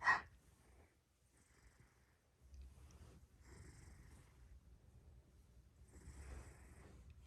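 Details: Hélios, a big Maine Coon cat, snoring very strongly while asleep, likened to a locomotive: soft, breathy, rasping snores rising and falling in rhythmic bursts roughly every one to two seconds in a quiet indoor room.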